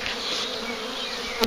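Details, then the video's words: Large, very active honeybee swarm found near a farm during collection: a continuous, even droning buzz with a low hum beneath, ending in a brief knock. "Collecting a swarm of bees"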